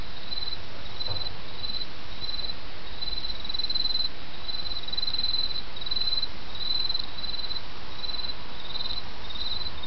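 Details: Autumn insects calling beside a gently flowing stream, with short, shrill pulsed trills repeated rapidly and irregularly throughout over an even rushing of water.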